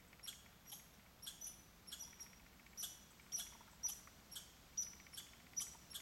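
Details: Two American martens on a bear-hunt bait pile in Minnesota in 2011 give high, thin squeaks in quick bursts, repeated roughly twice a second.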